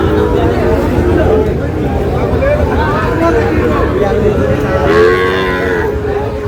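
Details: Sahiwal cattle at a cattle market in Narail, where a farmer buys a Sahiwal bull calf: several overlapping low, drawn-out moos with rising and falling arcs, over steady crowd chatter and market bustle.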